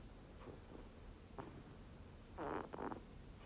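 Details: Snoring rabbit, captured clearly. Faint breathy snores build to two louder, raspy rattling pulses close together near the end, set against a quiet background hiss.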